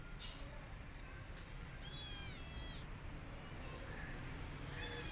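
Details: Rescued kitten feeling alone and wanting its mother: two high-pitched meows in quick succession around the middle, each rising then falling, then a shorter meow at the end over a constant low hum.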